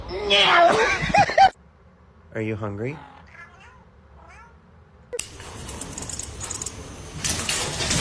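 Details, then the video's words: Domestic cat meowing indoors: after a burst of loud voices, one drawn-out harmonic meow is followed by several short, quieter meows that bend upward and down, with a soft room hum underneath and noisy clatter at the end. "funny cats talking"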